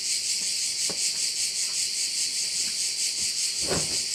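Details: Shrill insect chorus of crickets at a bay on Korčula, a continuous high buzz throbbing in regular pulses, with scattered low knocks and a brief thud near the end.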